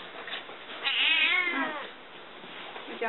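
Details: House cat welcoming a visitor indoors, recognising the sound of her car: one drawn-out, bright meow with a rising then falling pitch near the middle, soft voices around it.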